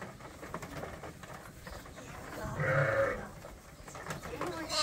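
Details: Lambs on a sheep farm being bottle fed from a hand-made feeder to top up their mothers' milk; one short, wavering bleat rises out of a low background of shuffling and handling noise.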